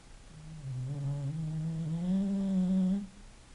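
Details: {'caption': 'Single snore from a sleeping English bulldog, a low humming drone with a buzzy harmonic edge that slowly rises in pitch over about two and a half seconds before cutting off.'}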